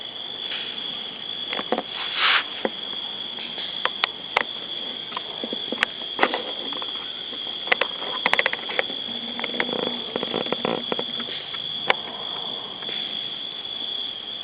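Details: Crickets chirping on an August evening in a village free of city hum, near a barbecue grill: a steady, unbroken high-pitched trill runs throughout, over sharp clicks and creaks of a chair and faint rustling.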